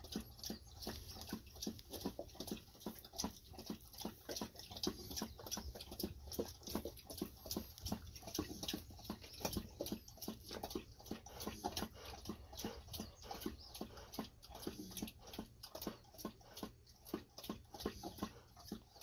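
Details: Golden Retriever lapping water after a walk, one of two dogs named Ibuki and Kohaku that drink a lot before treats; dense, uneven wet slurping strokes repeating quickly throughout, indoors.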